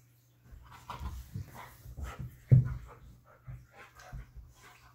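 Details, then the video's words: Siberian Husky playing with a cat, giving short, low grunting whines and grumbles in irregular bursts about every half second, one louder rising whine near the middle, against a steady low hum. "Siberian Husky and cat playing"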